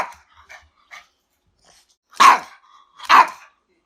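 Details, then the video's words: Dog barking twice in sharp, loud bursts about a second apart, preceded by a few faint short noises. "dog barking sounds"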